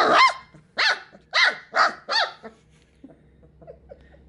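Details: Sheepadoodle puppies in their pen, a single-puppy litter born 13 April 2020 sharing with two pups from another litter, recorded 7 May 2020. Five sharp, high yipping barks come in quick succession about every half second, then fade to faint rustling.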